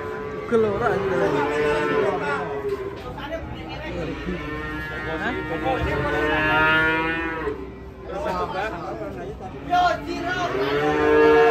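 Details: Cattle rampaging and falling into a ditch while being unloaded from a truck; long drawn-out harmonic moos, several overlapping, with shouting voices and outdoor commotion throughout.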